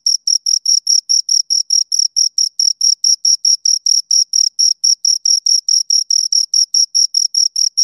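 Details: Two crickets produce rapid, evenly spaced high-pitched chirps, roughly two and a half per second, each a short scraping burst with a fainter higher band, in an otherwise silent background.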